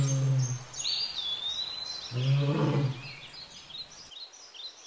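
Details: A pair of wild lions mating at Lake Nakuru, Kenya. Two deep, rough grunting growls, the second longer and starting about two seconds in. Thin bird whistles sound high above throughout.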